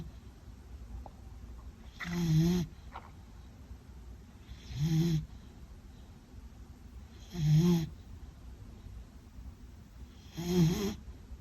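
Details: Meta, a Beagle, sleeping and snoring: four low, rumbling snores spaced roughly every two and a half to three seconds over a steady background hiss.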